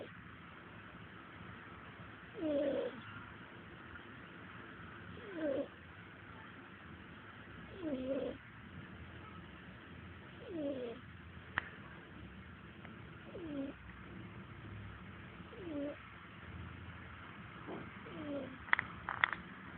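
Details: Sleeping cat named Taylor snoring in a slow, even rhythm: seven breathy, whistling snores about every two and a half seconds, with a sharp click midway and brief scraping noises near the end.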